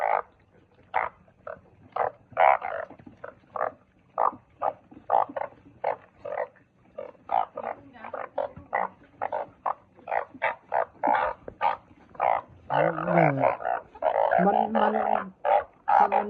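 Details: Truncate-snouted burrowing frogs calling: a dense run of short, clipped croaks repeated several times a second, overlapping into a busier chorus near the end with a few lower, drawn-out groaning notes.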